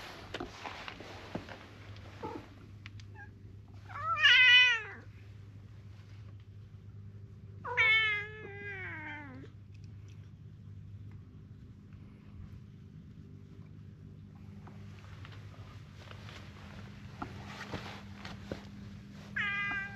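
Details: Stray cats gathering in numbers until a large crowd of them surrounds the filmer: two loud, drawn-out, wavering meows, one near four seconds and another near eight, over a quiet background with faint rustling and clicks.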